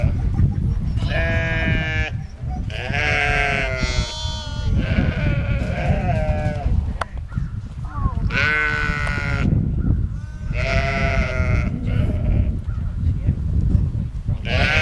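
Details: Rejected twin lambs feeding from a sheepdog mother with puppies on a sheep farm bleat repeatedly, quavering nasal cries every couple of seconds, some higher-pitched, over steady low rumbling.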